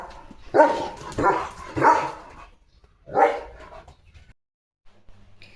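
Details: A pet German Shepherd keeps barking before unboxing a food parcel: four loud, hoarse barks spaced roughly half a second to over a second apart, then quiet.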